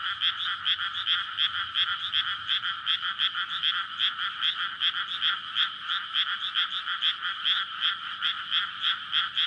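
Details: Many frogs calling at night in a May rice paddy flooded just before planting, a courtship chorus near houses and a road; continuous rapid croaking pulses, steady and loud throughout, recorded on a PCM recorder.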